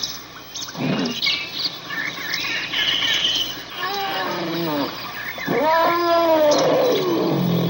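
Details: Trumpeting elephant: scattered higher squeaks and chirps at first, then a wavering brassy call and a strong, drawn-out trumpet blast that rises and sags into a low rumble.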